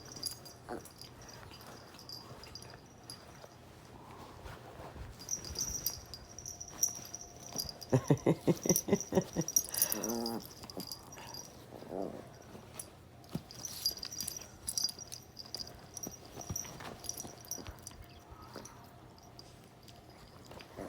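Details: Dogs Beatrice, Gidget and Lynn playing rough together; a run of harmonic, whining growls rises from a quieter stretch around the middle, with a shorter growl after it and scuffling, thumping play noise throughout.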